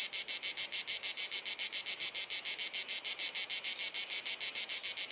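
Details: Summer cicada song in Dalmatia, Croatia, on a hot sunny afternoon, captured with a compact camera: rapid, even chirruping pulses, roughly three to four per second, harsh and high, sustained without pause throughout.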